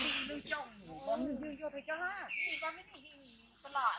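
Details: Baby monkey Tobais crying in a tantrum while handled roughly by its mother Toma: wavering, whiny tonal squeals rising and falling in quick succession, with bursts of hissy noise overhead.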